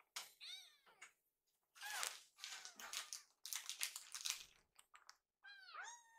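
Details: Rescued baby kittens, hungry, wait in the kitchen as a meal is made; arched meows at the start and end frame a middle stretch of loud clatter and rustling kitchen noise.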